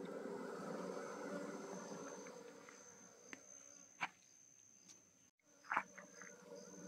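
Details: Honey bees being moved from a traditional log hive into a modern hive during beekeeping; a dense, steady low hum of many bees with several sharp knocks and clicks.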